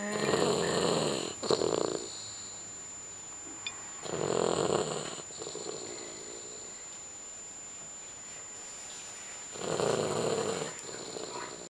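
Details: Sleeping dog snoring indoors, with three rough, breathy snores spaced about five seconds apart and quiet pauses between them, over a faint steady high-pitched tone.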